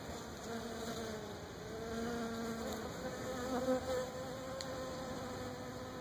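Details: Africanized honey bees, perhaps hybrids, visiting Brazilian pepper tree flower clusters in Florida, apparently wild; overlapping buzzy hums that waver and bend in pitch as bees fly by, one passing louder near the middle.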